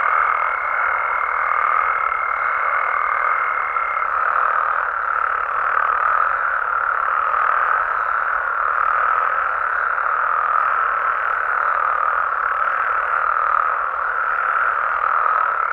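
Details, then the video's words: Night chorus from Mexico of frogs and toads, an unbroken mass of overlapping mid-pitched croaks, with a steady high whistle-like tone at the start that fades out after a few seconds. "Mexican Frogs & Toads Sounds"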